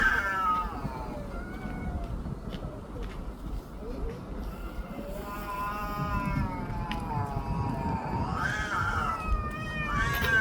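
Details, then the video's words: Street cats in a loud quarrel, drawn-out wavering yowls rising and falling in pitch, overlapping as the voices compete, over steady low background rumble. "야~~~목소리 큰놈이 이긴다"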